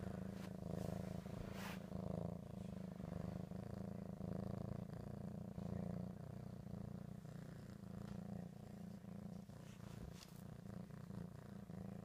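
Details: Steady low purring from Ricky, a house cat eating ham; an even, buzzing rumble holds throughout with gentle rhythmic pulsing and little other sound.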